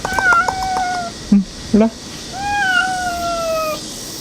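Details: Street cat meowing: two long, level, clear meows in the first second and again near the end, each held steadily, with two short low grunting sounds between them.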